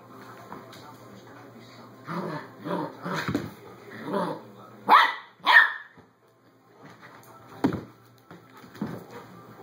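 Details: Puppy playing with a Doberman indoors: bursts of rough barks and growly yaps, loudest around the middle, separated by short quiet gaps, with faint voices in the background.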